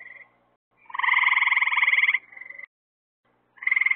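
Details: Frogs calling at night near lights set out to draw insects for them: a loud buzzy pulsed trill lasting over a second, bracketed by shorter trills and a thin steady note, in otherwise quiet surroundings.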